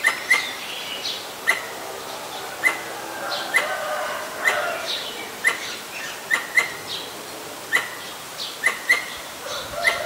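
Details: A Pallas's squirrel (Callosciurus erythraeus) in Ubon Ratchathani, Thailand, on 1 January 2023 gives sharp, clicking chucks at an uneven pace, sounding the alarm at danger.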